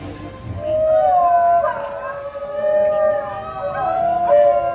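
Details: New Guinea singing dogs singing together as a pack in a zoo animal show; overlapping wavering, sliding howls with tonal rising and falling lines, accompanied by music.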